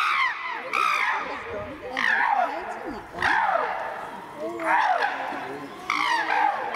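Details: During a fight among castrated chimps Tommy, William and Peter at Twycross Zoo, sharp descending screams burst out about once a second, with a murmur of human voices underneath.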